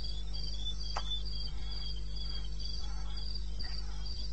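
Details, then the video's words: Eastern Botswana wilderness at 02:30, 21 May 16. Crickets give high chirps in a quick, steady rhythm, one higher and one lower caller alternating. A short snap breaks in near the start, and a low hum persists throughout. "1 Hour cricket sound"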